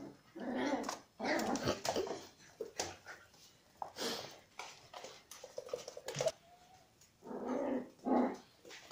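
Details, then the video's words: Young dachshund attacking a corgi in a small room, giving rough growls and snarls in uneven bursts, with a brief whining squeak near the middle and more growling at the end. "Нападение таксеныша на корги"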